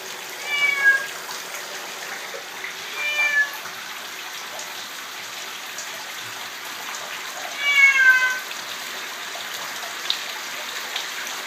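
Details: Timon, an 11-month-old male Bengal kitten, meowing loudly right after getting soaked in a shower; three strong, high, slightly falling meows near the start, at three seconds and near eight seconds, over a steady background hiss.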